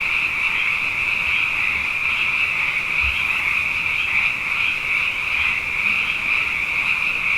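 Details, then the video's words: Many frogs, abundant after two wet years in a row, calling at night: a dense, unbroken high-pitched trilling chorus that holds steady throughout with no pauses, over a quiet low rumble. "Frog Songs: Na Mele o nā Paloka"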